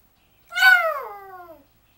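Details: Pet Yorkshire Terrier named Smokey howling for its owner indoors: one loud harmonic-rich howl about a second long, starting near 700 and sliding downward as it fades, with no other sounds.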